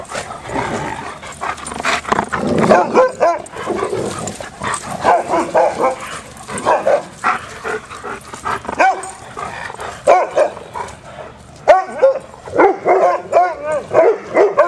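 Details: Several dogs at play give a busy stream of short, high yips and barks, with whiny rising squeals overlapping in quick bursts throughout.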